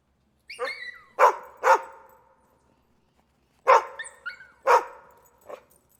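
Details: Dog barking in pairs of sharp barks separated by a pause, with thin high chirping whistles, probably birds, heard between them.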